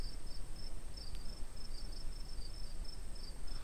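Crickets chirp in quick, high, pulsed bursts, several each second, over a thin steady high whine and a low rumble of background noise.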